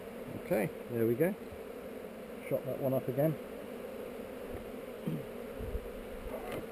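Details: Honey bees on heather during a hive inspection, recorded on a GoPro: a steady mid-low hive hum, with bees passing close to the camera making loud swooping buzzes that rise and fall in pitch, in two bursts of about a second each.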